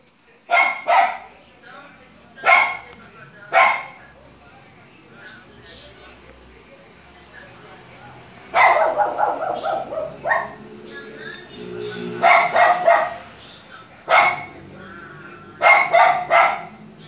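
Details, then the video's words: A dog named Luphe barking a lot, sharp single barks spaced a second or more apart, then louder clustered barks in bursts, with a person talking between them and a steady high electrical whine. "Luphe latindo muito !"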